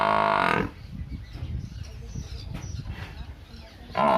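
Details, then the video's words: Village buffalo mooing: a loud harmonic bellow in the first half-second, then quiet background rustling and faint voices, with a second bellow starting at the very end. "our buffalo's sound video"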